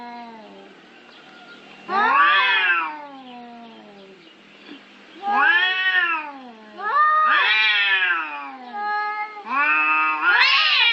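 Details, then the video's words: Cats yowling in a territorial fight: a low droning growl underneath, broken by loud arched caterwauls that rise then fall, repeated about every two to three seconds, growing harsher and higher toward the end. "The sound of cats fighting over territory"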